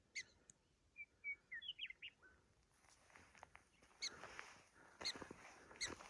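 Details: Prairie dogs on the Big Plateau Trail, Theodore Roosevelt National Park South Unit, give sharp, high, chirping barks, with brief whistled bird notes between them.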